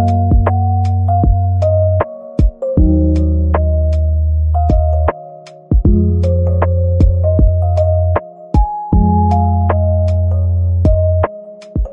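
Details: Lofi background music with soft synth chords, a steady bass line and sharp percussive clicks; no animal voice is heard.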